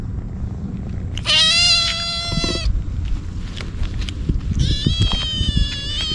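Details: Stray kitten crying desperately while eating treats: two long, strained meows with rich harmonics, the second slightly wavering, over low rumble and clicking, chewing-like noises between calls.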